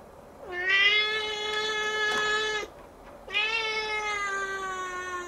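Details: Siamese kitten staring up at the ceiling indoors, giving two long drawn-out meows, each about two seconds, steady and slightly falling at the end, with a short pause between them in a quiet room.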